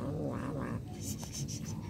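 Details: Domestic cat giving short, harsh, strained meowing cries over a low rumbling background, the drawn-out calls packed into about two seconds.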